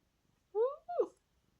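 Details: A house cat from the hills, known for waking its owner each morning, gives a two-part meow indoors: a rising tonal note followed by a brief falling one, clear against a quiet room after a person speaks.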